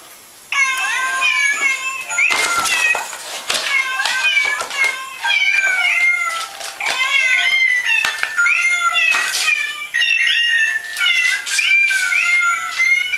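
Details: Cats meowing almost continuously, with overlapping, wavering mid-pitched calls that rise and dip. Sharp bursts of noise break in among the calls throughout.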